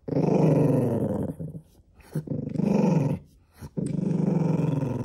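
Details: Possessive growling from a cream Poodle unwilling to have something taken away, in a small room. Three close, sustained throaty rumbles with a slight rasping pulse are separated only by short breaths.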